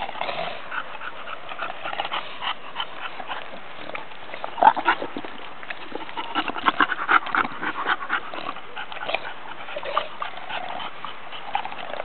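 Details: Pet female bulldogs Emma and Bibi at home: a run of rough, irregular snorting and snuffling bursts, with a few brief whimpering squeaks, the loudest cluster near the middle, over a steady hiss of background noise.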